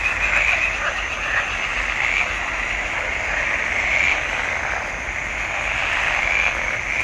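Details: Marsh frogs chorusing in a pond in June 2021; rapid croaking pulses blend into a continuous buzzing drone, with individual louder calls swelling every couple of seconds.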